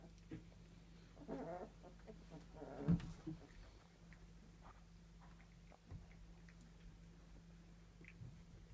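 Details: Fox red Labrador Retriever puppies, three weeks old, playing indoors: a couple of short, low, rough growly vocal bursts in the first three seconds, then quiet scuffling and a steady background hum.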